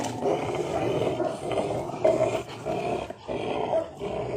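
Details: Several Rottweilers tugging at and ripping a tyre in a hobby garden, producing steady gritty growling with short pulsing surges, while a man talks over them.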